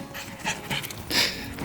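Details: Pet dog panting while its owner asks whether it is okay, at home with a couple preparing their camper van for shipping from the UK to Canada; quick breathy hissing bursts, three stronger puffs in under two seconds.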